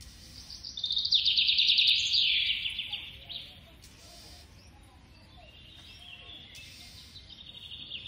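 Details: Feeding baby squirrel with a loud burst of rapid, piercing squeaks early on that drops slightly in pitch, followed by softer, thinner squeaking toward the close.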